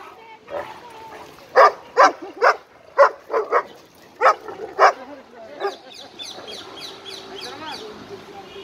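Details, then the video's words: Playful barking from an 11-month-old Irish Wolfhound and an Italian Mastiff meeting at a dog park: a quick run of sharp, loud barks, some in pairs, fading into quieter whining yips and background voices. "11 months Irish Wolfhound play with Italian Mastiff"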